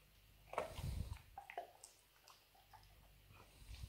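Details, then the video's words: Nero, a pet Labrador Retriever, gnaws a dried beef rawhide bone indoors. A loud crunching burst comes early, then softer irregular clicks and gnawing scrapes scattered through the rest. "Dog chewing bone"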